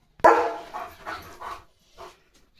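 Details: A German Shepherd at home by the gate, alert to passing dogs, a bullock cart or cattle, gives a loud bark followed by a few quicker, softer barks.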